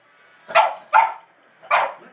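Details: Pet dog barking at dogs in a televised Puppy Bowl; three sharp barks, two close together then one after a short pause, with the TV commentary faint in the background.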